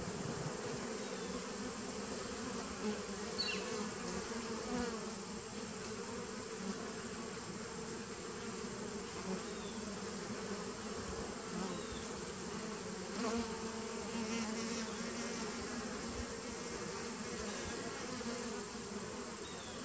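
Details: Twenty seconds of honey bee colony drone from a 2017 nuc on 19 September 2018, a constant layered buzz with a high steady whine and occasional faint clicks or chirps.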